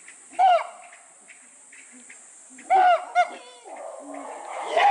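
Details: Chimpanzee Max at Tama Zoological Park, Hino City, Tokyo, Japan, giving an alarm call in reaction to a bird's call: loud, hoarse, harmonic bursts near the start and again midway, one quick follow-up, over a steady high hiss.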